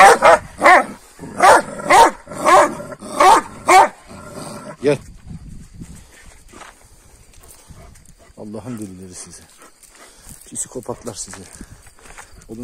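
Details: Kangal dogs squabbling with each other in the morning after being given a rabbit the night before. Seven deep, loud barks come roughly every half second over the first five seconds. A man then talks scoldingly, with a few faint yelps.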